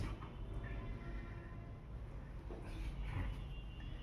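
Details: Only a quiet, low vehicle rumble with faint passing traffic noise is heard, with no animal calls.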